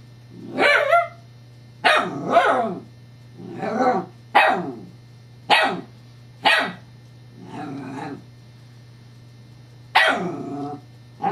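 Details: Female Scottish Terrier playing with her new teething pacifier toy, July 2011: a run of about nine sharp, rough barks at uneven one- to two-second gaps, some doubled, with a steady electrical hum beneath.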